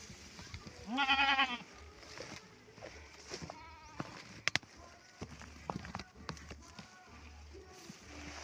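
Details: Goats kept by their owner, being brought fodder: one short, loud, wavering nasal bleat near the start, followed by rustling, clatter and a man talking.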